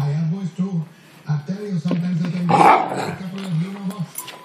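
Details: A young male Rottweiler who hates having his feet touched grumbles in low, wavering growls, rising and falling in short bursts, protesting his feet being handled.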